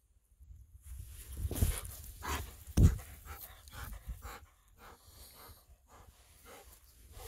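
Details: Golden Retriever running through rice fields under a cloudy winter sky, its coat thinned over the cold season; rough breathy pants come in irregular bursts over a steady low rumble of wind and movement.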